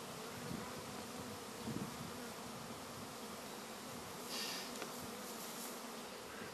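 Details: Honey bee swarm, which a beekeeper plans to merge with another colony that evening, heard as a soft, rough, even buzzing hum throughout, with a couple of faint knocks and a brief higher hiss near the end.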